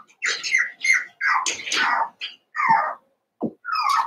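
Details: Young Cavalier King Charles Spaniel pups, eight puppies from two litters put together: a run of shrill, wavering squeals and whines in short bursts, ending with one low grunt and a final rising squeak.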